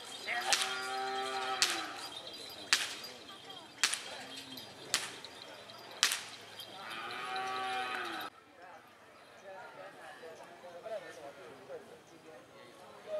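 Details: Cattle training for karapan sapi, the Madurese bull race, with Galis and Blega district teams at Banyubunih field, Bangkalan, East Java, Indonesia; several rising-falling moos between repeated sharp cracks roughly every second, then quieter background chatter.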